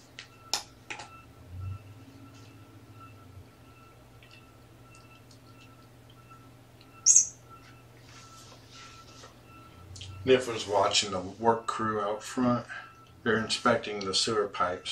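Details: Young kittens, four littermates (three males, one female) with their mother Seraphina, indoors at Purrfect Pals after a shelter transfer from Lewis County, Washington, being petted and brushed on the afternoon of 2018-11-28; quiet room, a sharp click, then rapid bursts of high, harmonic mewing.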